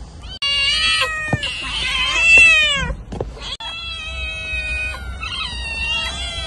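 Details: Loud, harsh cat meows, rising and falling in pitch, with a sharp click and a brief silence before a long, steadier drawn-out wail.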